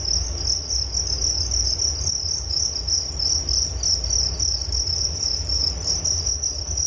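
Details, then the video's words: Relaxation recording of crickets: continuous shrill trilling in rapid pulses, unbroken for the whole stretch, with a faint low rumble underneath. "Relaksasi Suara Jangkrik Penghantar tidur || Nature Sound of Crickets"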